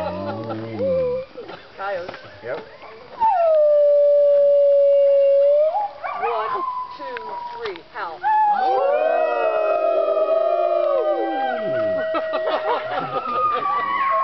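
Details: Midday howling by wolves at the Colorado Wolf and Wildlife Center: mixed yips and voices, then a clear steady howl of about two seconds, followed by a full group chorus of several overlapping long howls.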